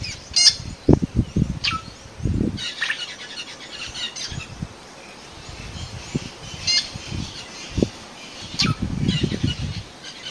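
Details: Cheetah mother at Phinda, Zululand, South Africa, calling her cubs hidden in high grass after finding a safe place; short sharp chirps spaced irregularly over ten seconds, with low rumbling thumps and faint high background twitters.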